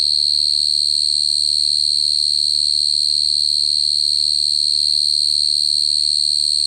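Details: A cricket's continuous shrill trill, rapid and regular in its pulsing, holding one high pitch without pause from start to end over a soft low hum.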